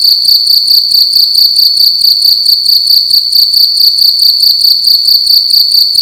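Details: Night-time cricket in a room producing a loud, piercing, high-pitched chirp sequence, fast pulses bunched into steady repeated bursts a little over two per second, nothing else audible.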